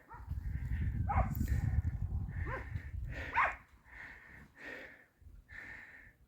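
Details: Bosnian Coarse-haired Hound and Serbian Hound pack near Vranje Han drives wild boar in training, the dogs 200-300 metres below the boar; about seven drawn-out, ringing bays rise and fall over a heavy low rumble of wind and handling noise.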